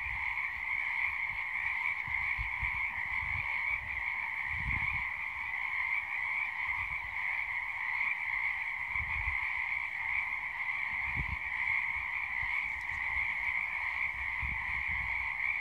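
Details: Frogs at sunset form a continuous, massed chorus, a steady shrill buzzing drone over a lower humming band that never pauses, with occasional soft low thumps in the background.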